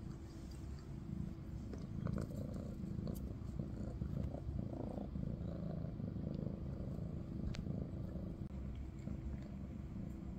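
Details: Maine Coon cat purring in a big cat family with kitten Ada; a steady low rumbling purr runs throughout, with faint soft clicks and light rustling above it.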